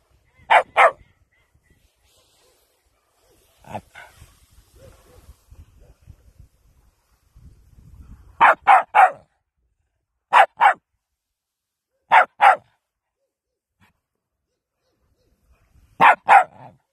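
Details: A West Highland White Terrier barks in short, piercing bursts, mostly doubled or tripled, spaced a few seconds apart, with faint rustling and quiet background between the bursts.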